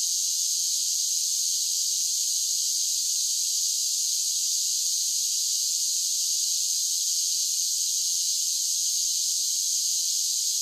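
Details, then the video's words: Summer chorus of cicadas: an unbroken, shrill hissing buzz at constant loudness throughout, high and bright with no low tones and no pauses. "10 Hours of Cicada Sounds for Relaxation with Soothing Summer Nature Sounds"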